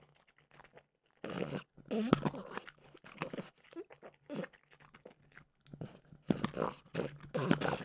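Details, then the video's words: Close-up crunching from French bulldog Mimosa eating peanut butter flavored dog treats indoors. Silence opens, then sharp cracking bites and grinding chews come in uneven bursts, loudest near the start and again toward the end. "Frenchie ASMR - Trader Joe's Dog Treats Peanut Butter Flavored"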